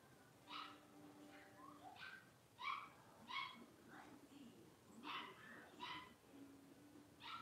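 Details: Five blenheim Cavalier King Charles Spaniel puppies, born around New Year's, playing together in an indoor puppy pen; short, high-pitched yappy barks come in quick irregular bursts, roughly ten in seven seconds, with soft human voices in the background.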